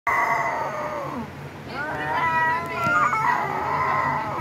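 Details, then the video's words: Cat giving drawn-out harmonic meows, a long falling cry followed by wavering, rising and falling calls, steady low hum in the background. "cat video"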